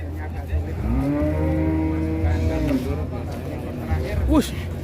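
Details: A giant sacrificial bull being loaded onto a truck gives a long, steady, deep moo of nearly two seconds that sags slightly at its close. A constant low engine rumble runs beneath, with people talking and a brief sharp noise near the end.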